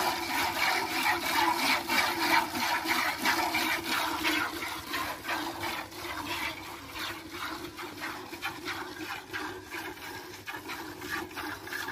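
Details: Splashing, rubbing water sounds in rapid irregular bursts, like washing or pouring; no animal voice is heard.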